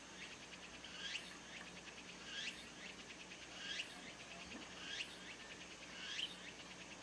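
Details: A tsukutsukuboshi cicada sings in the background of a rural garden where sparrows feed. A pulsing phrase rises to a sweeping peak and repeats about every 1.3 seconds, steady and insistent, over a faint constant hum.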